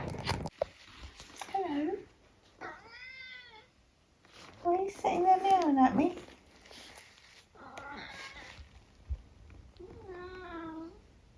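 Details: Eric, a 14-year-old tabby cat living in the UK, gives a string of short, high, squeaky meows, some rising then falling, spaced a second or two apart, with a person talking to him between calls indoors.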